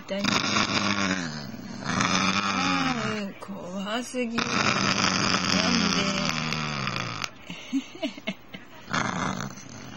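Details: Basenji protesting as its owner tries to pick a flea from its body. Loud, drawn-out, strained yowling grumbles come in two long bursts, followed by shorter ones, with the owner's voice nearby.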